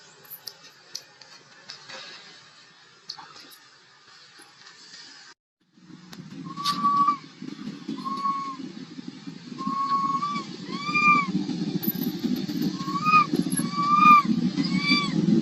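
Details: Little monkey crying and fussing for milk, giving a run of short arched whistle-like cries, each rising then falling, repeated rapidly and growing louder over a steady low rumbling background.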